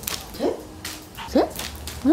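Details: Three-year-old female dog playing throw-and-fetch with a banana plush toy gives three short, rising yips spaced about a second apart, with soft indoor background noise.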